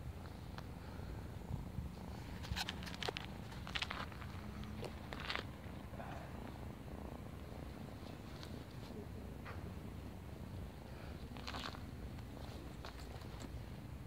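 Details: Female neighborhood kitten at play with a person, purring in a continuous low rumble, broken by sharp handling clicks and rustling bursts.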